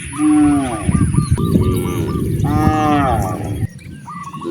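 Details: Cows roaming freely in nature on their way to vast grasslands: two long, deep moos rise and fall in pitch, with a steady rumble of movement and short repeated chirping bird notes in the background.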